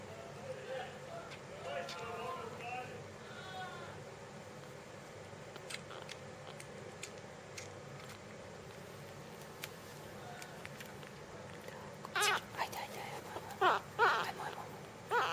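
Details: Jungle cat kitten during feeding: a few thin, wavering mewing cries in the first seconds, then quiet handling noise, with sharp clicks and knocks crowding the final seconds.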